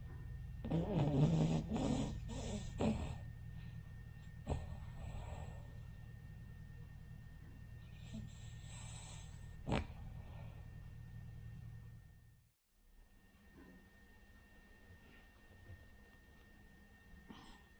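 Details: Rin, a sleeping Cavalier King Charles Spaniel, a flat-nosed breed, snoring indoors; a few louder snorting breaths early on, then a steady low rumbling snore, broken by one sharp snort and a brief gap before quieter breathing resumes.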